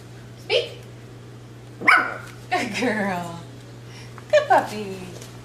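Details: A 12-week-old female Miniature Schnauzer puppy learning tricks barks sharply on the 'speak' command. A short yelp is followed by a louder bark and a sliding, descending cry, then a quick double bark near the end, over a constant electrical hum.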